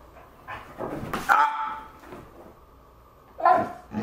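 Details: Pet husky indoors, reacting to a brand-new couch. Two drawn-out, tonal yowls about two seconds apart, each rising then bending, with the owner's voice pleading softly between them.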